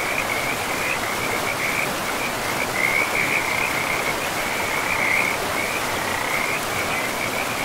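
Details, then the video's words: Forest river frog giving a continuous high-pitched trill of rapid, uneven pulses that swells and fades but never stops, set against a steady wash of rushing river water. "River and Frogs sleep sounds"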